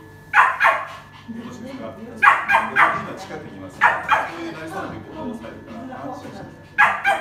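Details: A biting poodle with a bossy, queen-like nature, heard in a training session; loud barks come in quick pairs about every one and a half to two seconds, with human speech underneath.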